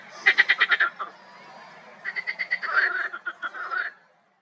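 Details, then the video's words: A marsh frog croaks in a pond in spring: a sharp burst of about six rapid pulses, a second of quiet, then a longer rattling, chuckling phrase that fades out. "Frisky Frogs Croak So Loud!"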